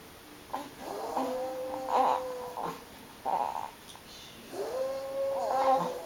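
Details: Pet dog howling at a tornado siren sounding in town: a series of long, mournful tonal wails, each held steady for about a second, with brief breaks between, the last rising into a sustained note.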